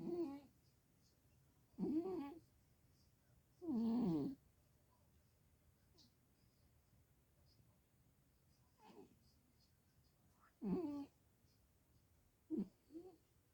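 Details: Sleeping Sphynx cat that got warm and dozed off, snoring through the house: irregular raspy bursts with a wavering, nasal buzz, some long and loud, others short and faint, separated by quiet pauses in a small room.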